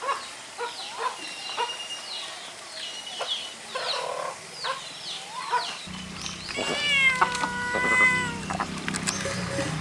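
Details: White cat giving a drawn-out, harmonic-rich meow that bends down then levels, heard after several seconds of soft scattered chirps and clicks over a low steady hum.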